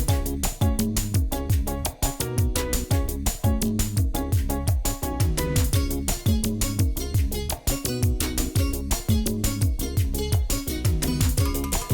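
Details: Upbeat Latin-style music with a driving, steady percussive beat and layered instruments, with no animal sound heard.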